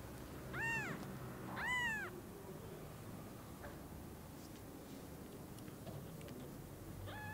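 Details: Newborn kittens seeing and hugging their mother cat for the first time. Two bright, arched mews in quick succession, then a long stretch of faint rustling, and a weak final mew rising at the end.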